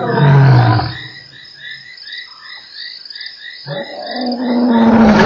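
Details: Lion roaring at Nkorho on 3 March: a loud, deep moaning roar opens and fades, then a rising low moan returns near the end, with a steady chorus of high croaking frogs throughout.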